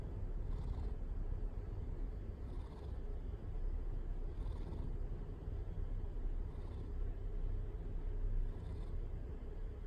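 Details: Nonta, a pet cat that purrs readily, gives a steady low rumbling purr, swelling in breath-linked surges about every two seconds, with a faint airy hiss on each breath.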